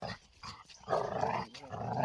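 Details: A six-month-old American Bully in Chhattisgarh, India, standing 23 inches tall and weighing 45 kilograms. It gives short, rough, growly vocal bursts, including a longer grumbling sound in the middle, against faint room noise.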